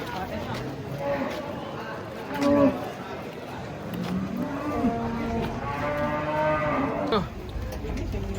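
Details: Cattle unloaded from a truck, giving drawn-out harmonic moos, one rising and falling near the middle and a longer one later, over steady crowd noise and a background rumble.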